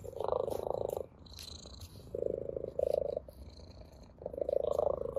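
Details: A ginger tabby cat plays with a blade of grass and purrs with pleasure. The purr comes in three rapid, throbbing bouts of about a second each, separated by quieter gaps with light rustling.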